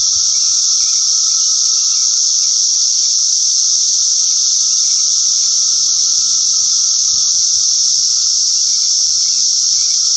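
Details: A dense chorus of Brood X periodical cicadas forms a continuous high, hissing drone with a lower humming layer beneath it, holding steady from start to finish with no breaks or clear individual phrases.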